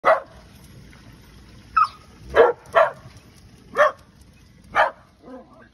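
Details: Dogs from a household pack of seven, including terriers, greeting their owner at the gate of a woodland home at Herewood; six sharp barks come at uneven intervals, ending in a softer whine.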